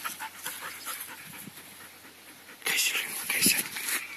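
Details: Alaskan Malamute named Janok running free outdoors in summer; rough, breathy panting bursts fill the final second and a half after quieter rustling and light ticking footfalls, with a person speaking nearby.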